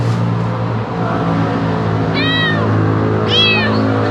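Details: Hungry kitten making a strange sound: two short, high, harmonic mews rising then falling, about a second apart, over a steady low engine-like hum.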